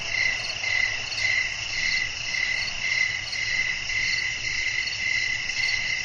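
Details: Nighttime crickets with wind in a relaxing nature soundscape; rhythmic shrill chirps repeat steadily about twice a second over a layered high buzzing drone.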